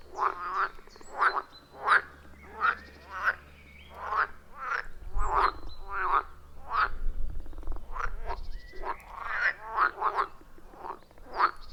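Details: Frogs croaking around a wild forest pond, iPhone 14 Pro plus Shure MV88+ recording; rapid run of harsh croaks, dense in the second half, while a low rumble rises through the middle seconds.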